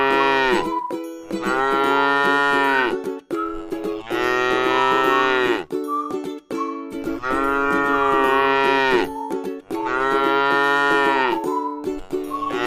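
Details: Cow grazing in a rice field, tame and feeding on grass, lows four times, each drawn-out harmonic moo lasting over a second and coming roughly every three seconds, with a constant tonal hum beneath.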